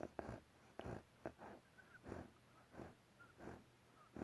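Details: Bear snoring with a whistling edge: short, breathy, broadband snorts about every half second to second, with faint thin whistles slipping in between some breaths, in a quiet setting.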